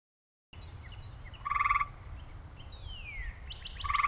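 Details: Gray treefrog recorded in 2010 gives short, musical pulsed trills, with thin bird chirps and a sliding whistle between; the recording includes singing and an aggression call.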